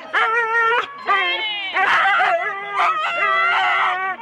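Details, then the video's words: Husky teams of four dogs before a sled start at Rendlesham in January 2016 produce long, steady, howl-like whines in repeated bursts, several dogs overlapping with rough barks in between. "4 dog Husky teams - the complete start"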